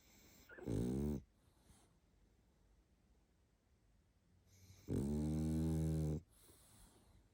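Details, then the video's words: Sleeping pug Barney, worn out, lets out two heavy, low, buzzing snores about four seconds apart, with faint breathy exhales trailing each one and near silence between. "Мопс спит и храпит😴Уставший Барни"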